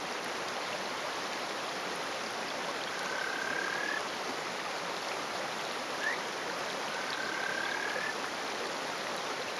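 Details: Male Kajika frog (Buergeria buergeri) calling from a rock in rural Hofu, Yamaguchi, Japan, on the morning of 20 May 2018. Males hold territories and give breeding calls. Soft whistled notes, some drawn out and one rising sharply, sound over loud rushing stream water.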